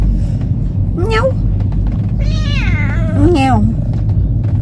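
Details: Talkative domestic cat taken out sightseeing on its first trip, giving three meows: a short rising one, a long wavering drawn-out one, then a falling one, over a constant low rumble.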